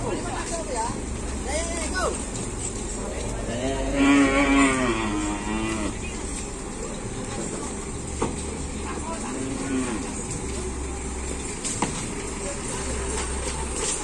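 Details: Cattle at a Madurese bull race (kerapan sapi) training session at a field in Asemanis; one drawn-out harmonic moo, wavering in pitch and lasting about two seconds, amid a steady crowd hum, engine noise and scattered clatter.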